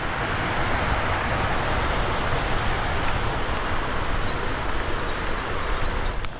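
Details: A steady broadband roar of rushing water or wind fills the whole clip, with no animal calls heard.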